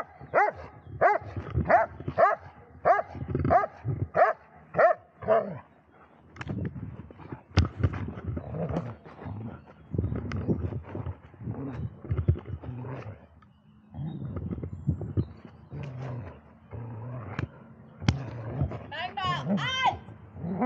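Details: An 11-year-3-month-old Dobermann, Magmar Von Der Burgstätte, barks rapidly for about five seconds. Softer, irregular barks and muffled sounds follow, and it ends with a high, wavering whine.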